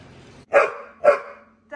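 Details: Bored female Pit Bull named Mary complaining indoors after tearing up a toy: two short, loud, harsh vocal bursts about half a second apart, each trailing off, over a quiet background.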